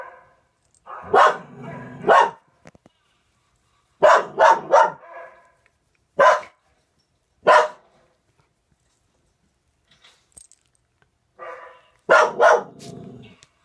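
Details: Household dog Raelie, sharing a home with a Norwegian Elkhound and a German Spitz, barks excitedly at a dog on the TV screen: sharp barks in pairs and bursts of three, separated by short silent gaps.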